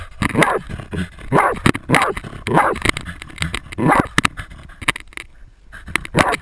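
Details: Jagdterrier baying a 250 lb boar, captured on a GoPro camera: strained, rough barks about once a second, some with a whining edge, over rustling undergrowth, then a brief lull before a final bark.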